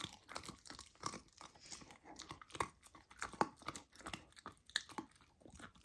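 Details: Raw lamb crunched and chewed by golden retriever puppy Lilo trying it for the first time: dense, irregular, snappy bites with moist smacking, recorded close up indoors.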